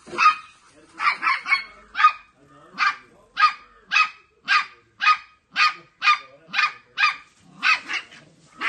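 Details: Dog barking from a household with a Dogo Argentino pup and a Maltese: sharp, high yapping barks repeated steadily about twice a second, a quick cluster at the start, then evenly spaced single barks in a quiet room.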